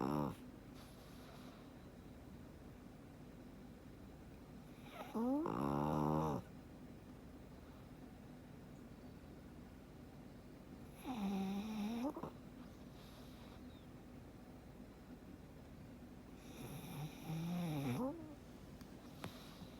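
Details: Frank, a black pug, sleeping comfortably indoors and snoring: three rasping, harmonic snores about a second long, each rising then falling in pitch, spaced roughly six seconds apart, with quiet breathing hiss between.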